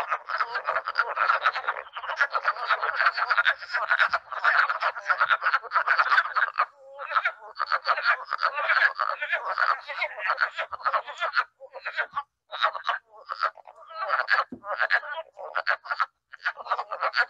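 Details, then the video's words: Chorus of wood frogs from Long Island, described as sounding like tiny ducks quacking; many overlapping short, hoarse, clucking croaks run continuously with brief gaps, the ragged quacking texture rising and falling throughout. "isn't that funny it sounds like all of these tiny little ducks quacking but really it's frogs"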